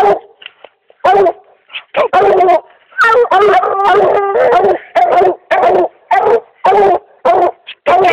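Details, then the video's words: Treeing dog baying at a raccoon, recorded in 2008; a steady run of loud, ringing barks about once a second, a few stretched into longer bawls, with quieter yips in the gaps. "little girl treeing a coon"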